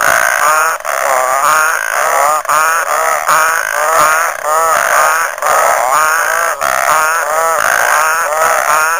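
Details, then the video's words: Frog chorus at Lake Nhambavale, Chidenguele, Mozambique: many overlapping warbling, wavering calls rising and falling in dense, continuous layers, with short gaps where the sound briefly dips. "Frog Orchestra"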